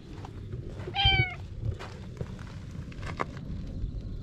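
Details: A weak, weakened orange tabby stray cat found on a Japanese cat island gives a single short, clear descending meow with rich harmonics, followed by quiet rustling and a few faint clicks in an outdoor setting.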